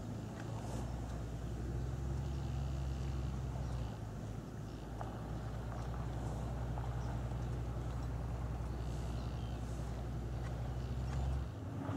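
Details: A steady low engine drone, like a boat motor idling, with no animal sounds heard.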